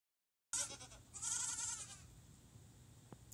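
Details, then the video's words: Domestic goat from a herd bleating while wanting grain: a drawn-out wavering bleat with a quavering harmonic stack, lasting about one and a half seconds, followed by quieter background noise. "Talking herd of goats"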